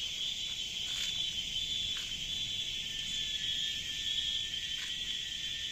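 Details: Cicadas in the jungle keep up a steady, shrill, high-pitched drone without pause.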